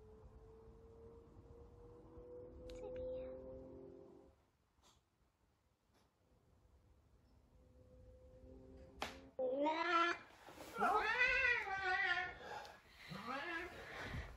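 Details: Sabian, a very talkative Savannah cat, searches for Sabina with a run of loud, arching meows in quick succession near the end, after a quieter stretch with a steady low tone and a sharp knock.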